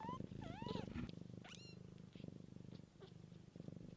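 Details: Mother cat caring for her kittens in nature, purring in a steady low rapid throb throughout, while kittens give several high rising and falling mews near the start, with one sharp upward squeak.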